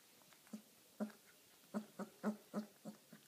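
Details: Eighteen-day-old Irish wolfhound puppy having dinner, making short low squeaky grunts and whimpers in an uneven string of about nine notes within a few seconds, in a small room.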